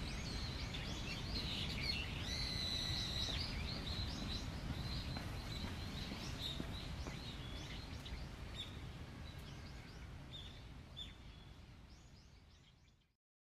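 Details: Amin, an Oriental small-clawed otter at Ueno Zoo born in 2007, eats steamed sweet potato cubes in the nest box after finishing a horse mackerel, giving rapid, high, thin chirps and squeaks over a steady low rumble.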